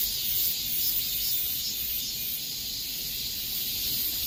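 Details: Cicadas singing in the summer heat: a dense, steady high-pitched buzzing chorus that holds unbroken with only slight swells in loudness, and no other clear sounds.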